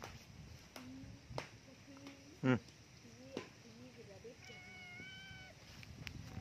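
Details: Cute cat, curious about what is inside a hole, gives one drawn-out, steady harmonic meow near the end, after scattered short clicks and taps, with quiet human voices in the background.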